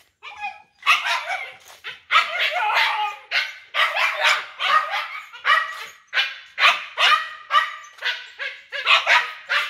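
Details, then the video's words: A big-bellied dog on the way home barks in a rapid, loud series of harsh, harmonic yaps, roughly two per second with short gaps, continuing steadily throughout. "Con Chó Bụng Bự"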